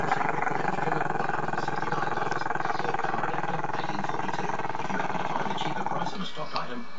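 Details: Chester, a young Maltese-Shih Tzu who dislikes being filmed, holds an unbroken low throaty growl for around seven seconds, a steady rapid rumble with muffled speech in the background.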